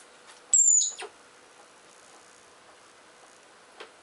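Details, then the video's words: Richardson's ground squirrels fighting while digging; a single high, thin whistle, slightly falling, lasting about half a second, followed by a soft scrape and a faint click near the end. "穴掘りをしながらケンカするジリス＜Richardson's ground squirrel＞"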